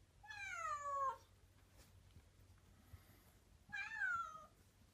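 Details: Meows from a rescued black kitten whose early voice was hoarse: two drawn-out, descending meows about three seconds apart in a quiet room.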